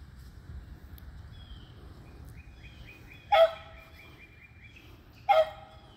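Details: Beagles Athena, Zeus and River, eleven and three years old, treeing squirrels on June 3, 2020: two ringing barks about two seconds apart, with a rapid series of faint high ticking bird notes between them.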